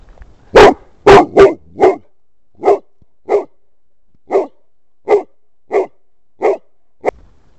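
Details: Bernese Mountain Dog Nabat, met a nervous harmless ground snake in the forest, barks loudly: eleven sharp, deep barks, the first three quick and strongest, then steadier ones spaced roughly every 0.7 seconds, with near silence between.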